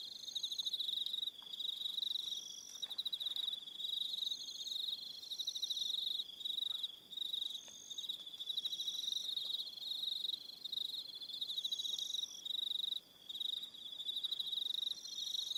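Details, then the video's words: Evening cricket chorus on Aroha Island in New Zealand, with steady shrill pulsing trills overlapping, several callers stopping and starting, and a short lull near the end. "1 Hour Relaxing Evening Sound of Crickets"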